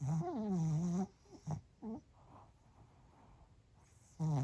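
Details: A Pomeranian called Bochao naps at lunchtime, giving a low, droning tonal snore that wobbles for a second, two short puffs, a quiet pause, then another deep nasal snore starting.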